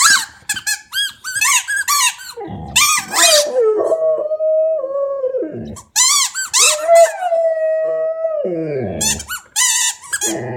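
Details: Pet Australian Shepherd howling during play with a squeaky toy inside a small room; two long, drawn-out tones, each holding level and then sliding downward, separated and framed by bursts of rapid high-pitched squeaking from the toy.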